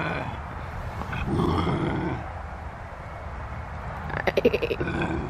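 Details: Max, a Canada lynx, growling at close range: a low, rough rumble swells for about a second, fades, then breaks into a short burst of rapid, harsh pulsed snarls near the end, with faint background noise.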